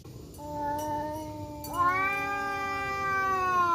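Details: Male village cats, a black one and a striped one, fighting in a forest; a steady low yowl gives way to a louder, higher sustained wail that rises sharply then holds for nearly two seconds.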